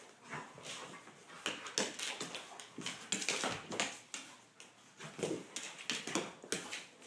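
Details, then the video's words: Golden Retrievers Shai and Finn romping with each other: choppy bursts of huffing and rough growly noises come every half second or so, with a few brief whiny tones mixed in. "Golden Retrievers Playing"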